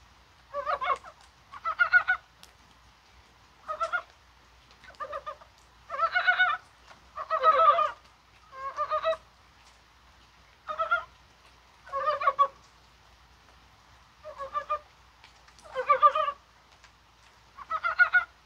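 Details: Mountain frogs croaking during January rain, possibly while spawning; a steady series of about a dozen short pulsed croak bursts, spaced roughly a second apart, from several frogs in quiet surroundings.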